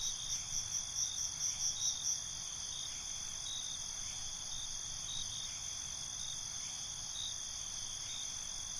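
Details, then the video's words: Crickets calling at night, a quick burst of pulsed chirps in the first two seconds, then a steady high trill carrying on alone. "Night ambience, Cricket Conversations"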